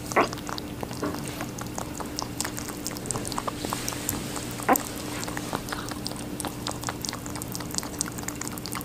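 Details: Rabbit eating watermelon: dense wet crunching and clicking bites scattered throughout, a louder snap near the start and another near five seconds, over a steady low electrical hum.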